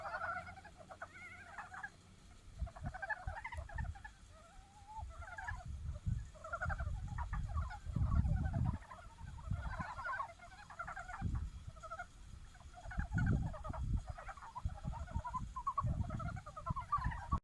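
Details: Japanese brown frogs calling in love after snowmelt has turned into a stream; a dense overlapping chorus of short clucking, pulsed notes in rapid bursts, with a steady low rumble beneath.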